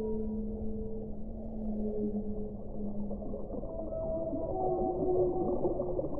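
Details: Whale song with long, steady low tonal moans held for several seconds, overlapping higher sliding tones joining later, all over a continuous underwater rumble.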